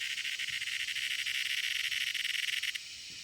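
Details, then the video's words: A loud cicada: a rapidly pulsing, rattling buzz, like fast throbbing hiss. It stops abruptly near the end, leaving a faint background whine. "CICADA is making a loud noise"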